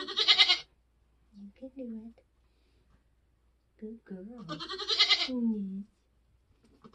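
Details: Nigerian Dwarf goat giving birth on a homestead during kidding season. A loud, grating bleat opens, then murmured human voices follow, and a second long wavering bleat comes around five seconds.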